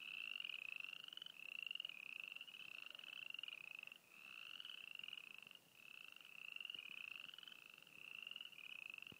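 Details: Frogs calling at Froggy Flats, East Glacier, Montana: high, buzzy pulsed trills, each lasting around a second, repeated back to back and overlapping in a steady chorus with only brief dips.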